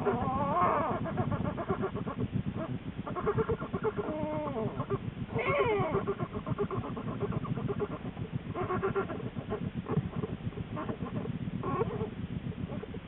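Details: A female American black bear in her winter den in January, not long before giving birth to two cubs, gives low, rapid grunting pulses with a few higher, wavering moans.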